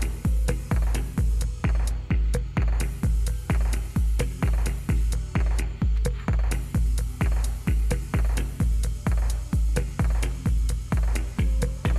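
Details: Electronic dance music with a steady, regular drum-machine beat plays throughout, and no animal sounds are heard.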